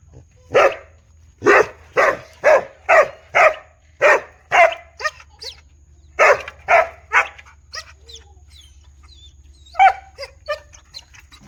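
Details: A big dog barks loudly and steadily, about ten deep barks in quick succession roughly every half second, then thinner, softer yips and whines trailing off toward the end.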